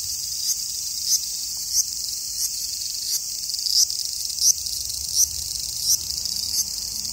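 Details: Cicada calling in summer in Japan: a continuous high, hissing buzz with regular pulses about every two-thirds of a second, steady and unbroken throughout.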